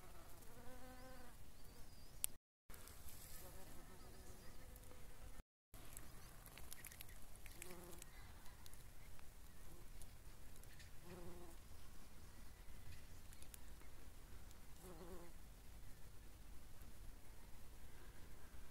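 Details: A brown-banded carder bee, in Poland, hums with a low, rich buzz that swells and fades in short bursts; the species is said to be recognisable by this sound, though some think it is a shrill carder bee.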